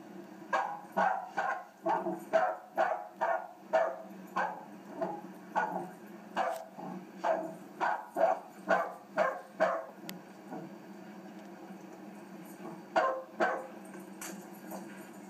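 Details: Three-month-old puppy named Behtzie barking while playing: quick, high, yappy barks in rapid bursts of about two per second, a pause, then a few more close barks near the end, in a quiet room.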